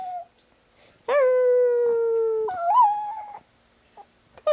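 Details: Pet Chihuahua Chico, prompted by howling dogs on a phone, gives a long level howl of over a second, then a wavering higher note that rises and dips, ending in short yips; quiet room, a voice urging him on.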